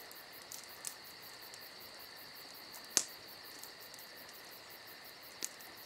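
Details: Summer night crickets keep up a continuous high, ringing trill while a crackling campfire adds scattered sharp snaps, one loud pop near the middle.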